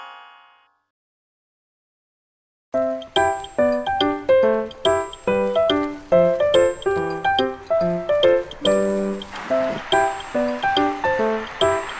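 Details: A brief tone and two seconds of silence, then bright, bell-like music with a repeated tinkling melody and no animal sounds.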